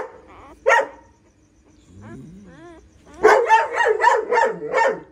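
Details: Female pointer dog giving birth to nine puppies at home; a single sharp bark, a faint wavering whine, then a rapid run of six loud barks close together.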